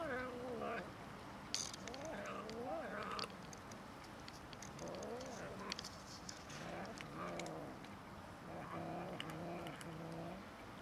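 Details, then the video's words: Cats squabbling with a kitten over food: a steady run of low, wavering, moaning growls rising and falling in short bouts throughout, with faint clicks and rustling in the background. "Cats and kitten quarrelling over food"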